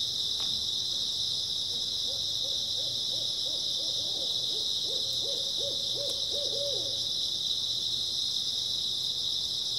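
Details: Grass insects chirp in a constant high chorus on an early autumn night. A bird gives a rapid run of about fourteen short hoots that grows louder, plus a couple of faint clicks.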